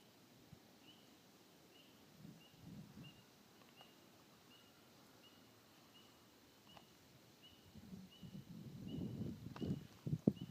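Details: Spring peepers chorus faintly on December 23, each frog giving a thin, high peep repeated in a steady, pulsing series.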